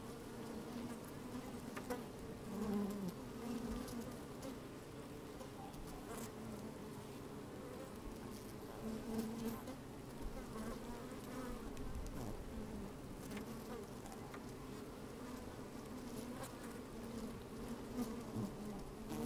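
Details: Bees busy at an open hive on a fine sunny day, recorded from inside the hive: a sustained low buzzing drone, gently pulsing in loudness, with intermittent louder buzzes and light crackles.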